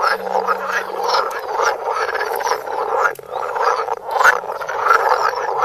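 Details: Frogs croaking in extreme close-up, recorded on a Samsung Galaxy Note: a dense, continuous chorus of overlapping rasping croaks, loud and unbroken throughout.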